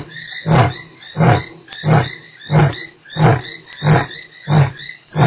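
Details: Lion roar recorded at Nkorho on 3 March. A run of heavy, low grunting pulses comes about every two-thirds of a second, with a continuous high cricket chorus behind.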